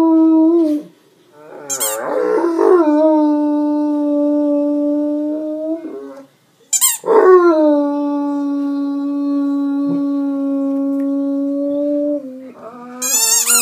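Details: Great Dane named Dante howling after squeezing his squeaky toy. Two long, level, sustained howls are each held about five seconds and separated by short silences. Sharp, shrill toy squeaks come at the start of each howl and at the end.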